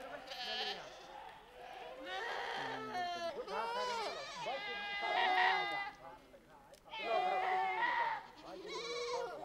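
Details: Himalayan herd of Pashmina (Changthangi) goats and sheep: continuous overlapping bleats, tremulous and bending in pitch, several animals calling at once with barely a pause.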